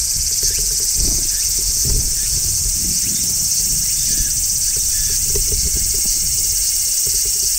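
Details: Large brown cicada singing on a tree in midsummer, recorded outdoors with no music: a steady, dense, high sizzling shrill that never pauses, with low rumbling background noise beneath.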